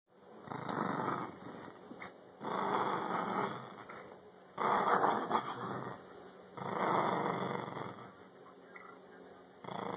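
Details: Playful dog growling: four long, rough, rumbling growls of about a second each, separated by short quiet gaps, over a steady faint electronic whine.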